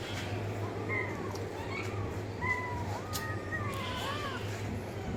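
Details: Cat meows, soft and fairly faint, several wavering mews rising and falling in pitch, spaced unevenly over a constant low hum and background noise.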